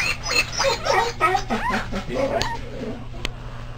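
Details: Clumber Spaniel pups only hours old, during resuscitation and first feeding, squeak and whine in high bent, looping cries, several in rapid succession, then trail off into quieter whimpers with a couple of sharp clicks.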